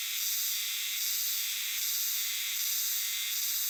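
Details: Chorus of Euterpnosia chibensis cicadas in dark shrine and temple woods, a dense, continuous high buzzing wall of sound with gently pulsing swells and no pauses.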